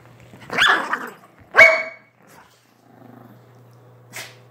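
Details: Two quick, high, yappy barks from a Chihuahua about one second apart, then a faint grumble and a brief noise, all indoors over a low steady hum.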